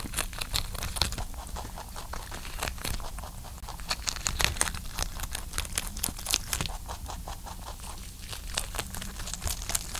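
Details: Pet rabbit named Ayin licking and chewing while eating: dense, rapid dry clicks and soft smacking taps follow one another without pause, with crisp crackly bursts scattered throughout.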